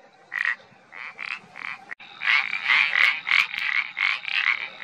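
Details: Iberian parsley frog calling in a run of short, creaky croaks, about three per second, each a brief pulsed note; the notes grow louder and closer together in the second half against a quiet background.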